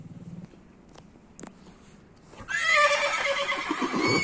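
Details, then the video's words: Horse whinnying: after about two and a half seconds of near silence a loud, shaky, harmonic-rich neigh bursts in and quavers for nearly two seconds, slowly falling in pitch. "horse sounds"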